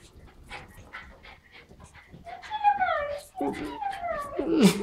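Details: Jack Russell Terriers at home, playing a hide-and-seek game as their owners return together. Soft patters and panting come first, then high, drawn-out whines that slide downward, one after another, ending in a sharper squeal.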